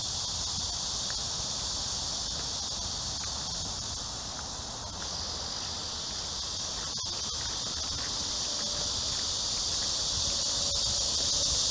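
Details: Cicadas on a summer evening walk, 6 to 7 PM, July 26, 2021, during a heat wave, in Amsa Ecological Park beside the Han River, Seoul, South Korea: a dense, steady, high hissing buzz with faint lower tones beneath.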